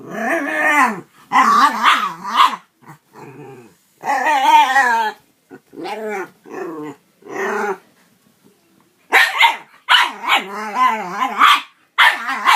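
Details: Dog playing with a cat produces strange noises: loud, warbling growl-barks in repeated bursts of one to two seconds, some rising into yips, with short silences between.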